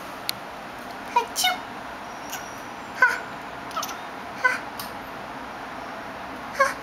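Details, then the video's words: Veda, a pet cat that otherwise never meows, hisses or purrs, responds only when someone sneezes. Indoors, several short, high, chirp-like meows come in quick bursts, spaced a second or so apart, mixed with human sneezes. "Sneeze Cat"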